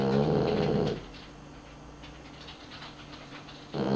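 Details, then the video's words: Sleeping pet dog snoring: a loud, rough, low rumbling snore lasting almost a second, then a quiet pause with faint room hiss, and the start of the next snore at the very end. "Unser Hund schnarcht - Dog snores"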